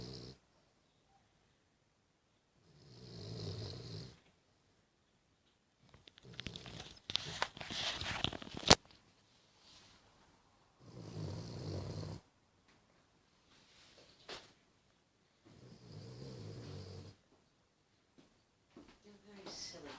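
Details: A 14-year-old Cavalier King Charles Spaniel, asleep with eyes open, snores in slow, rasping breaths about every six seconds.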